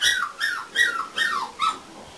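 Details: English Springer Spaniel puppies, four weeks old, give five high whining yelps that slide downward, one roughly every half second, close and clear with little background.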